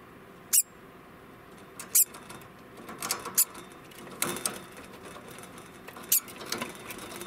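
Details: An 11-month-old male degu (Octodon degus) gives sharp, very high alarm squeaks, spaced a second or more apart, warning of danger; finding: Degu.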